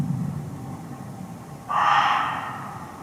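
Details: A muntjac (barking deer), hidden close by in forest undergrowth in Hertfordshire, gives one loud, hoarse, chilling bark that breaks a quiet stretch and fades over about a second.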